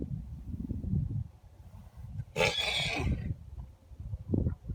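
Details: Two long-paired geldings making odd noises, new behaviour put down to spring fever: one loud rough squealing burst of under a second, with low rumbling and shuffling before and after.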